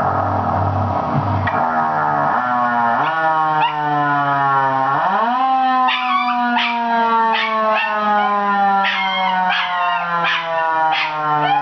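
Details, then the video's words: ['Zig, a male mini schnauzer of 8 months, breaks into a drawn-out howl rising then holding steady, followed by sharp repeated yips layered over the continuing siren tone.'] "Zig howling at siren"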